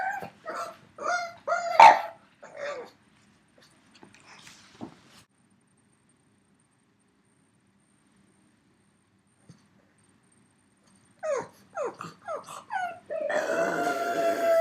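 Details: Pug named Yoda, aged three, calling for his absent dog companion indoors: a burst of high choppy yips and whines, a long quiet pause, then more short whines rising into a sustained moan.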